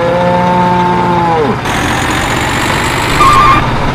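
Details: Cattle for sacrifice being loaded onto a truck: one sustained moo that falls away after about one and a half seconds, then only engine rumble and vehicle noise.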